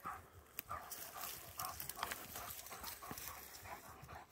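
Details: One of two German Shepherds, Nico and Zeeva, on a forest wander, panting in quick breathy bursts roughly twice a second, with rustling footsteps on the woodland floor.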